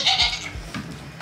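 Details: Baby goat screaming on weaning day at a homestead farm, kids separated from their mothers; one short, harsh, high bleat that fades, with quieter farm sounds after.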